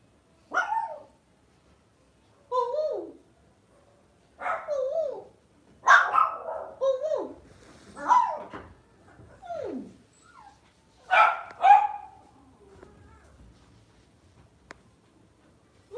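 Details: Lhasa Apso kept as a house pet, barking in a steady series of about nine yappy barks over thirteen seconds, many sliding down in pitch at the end, silence between bursts.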